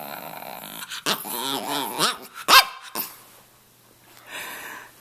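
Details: Stanley, a male red rough-coat Brussels Griffon about two and a half years old living in Miami, 'talks' with a series of grumbling, wavering whines that rise and fall in pitch, ending in a sharp yip, then quiet.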